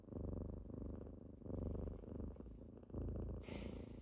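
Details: Close, loud purring of kittens on a morning wake-up, a low buzzing rumble rising and falling with each breath, cut by a short burst of hissing rustle at the end.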